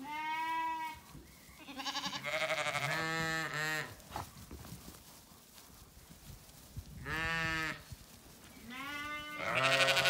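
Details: Zwartbles ewes calling for dinner at a County Kilkenny farm in Ireland before the gate opens, sunny orchard: a flock of overlapping wavering bleats, some short and choppy, others drawn out, with rustling between calls.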